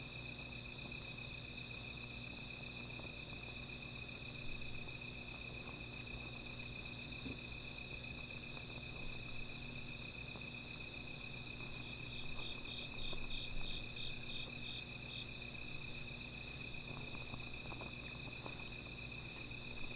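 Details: Night insects near a small fire hold a steady shrill ringing chorus; around the middle, one rapidly pulsed trill of evenly spaced chirps stands out for about three seconds, over a low hum and faint crackles.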